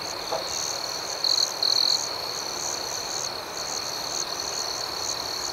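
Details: Crickets chirping at night as a dense, high-pitched wall of sound with pulsing overtones. Early on a nearby cricket gives two short, louder trills close together.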